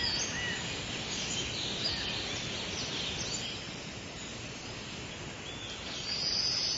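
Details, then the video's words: Cicadas singing in summer: a dense, steady buzzing hiss fills the high range, swelling slightly near the end, with a few faint bird chirps on top. "Cicadas Chirping & Singing"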